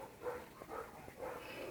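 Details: Black German Shepherd dog on guard duty giving a few short, muffled barks in quick succession, three or four low bursts spread over under two seconds against a quiet background.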